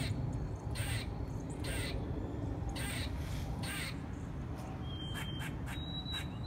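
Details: A squirrel's 'singing': sharp, broadband clicking barks spaced about every half second to a second, over a steady low rumble of wind or traffic, with a thin high bird chirp near the end.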